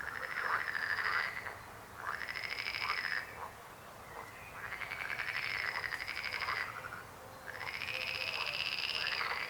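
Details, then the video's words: Frogs croaking in loud, rattling trilled bursts, each lasting over a second and separated by short pauses, several callers overlapping in a steady chorus. "Rechot żab. Croaking frog sound."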